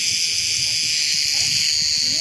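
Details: Numerous cicadas in full song around a summer tent campsite in the Aegean region of Turkey; a loud, sustained, sizzling high-pitched drone dominates, while faint speech murmurs low in the background.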